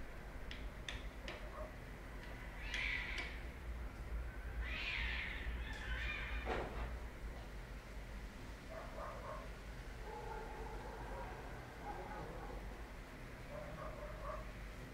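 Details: Domestic cat giving a couple of short, rising meows with bright harmonics early on, followed by quieter murmuring tones over a steady background hiss.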